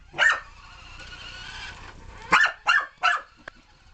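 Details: Puppy named Alphie chasing a remote control car, barking insanely: one sharp bark, then a steady whirring motor hum from the toy car, then three rapid barks in a row and a brief click.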